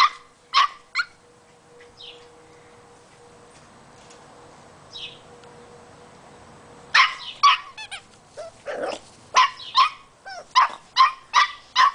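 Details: Boxer puppy, a female eight weeks old, barking at a squeaky toy on first discovering it: a few sharp yips early, a quiet pause, then a rapid burst of high, repeated barks and yelps roughly twice a second.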